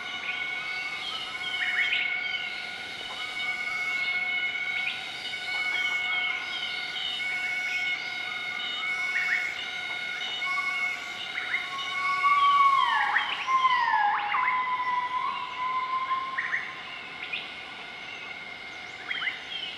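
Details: Morning duet of a southern white-cheeked gibbon group, Nakai-Nam Theun National Protected Area, central-eastern Laos, 20 March 2014: rapid series of rising whistles building to a long swooping falling-then-rising note, with steady insect buzz throughout.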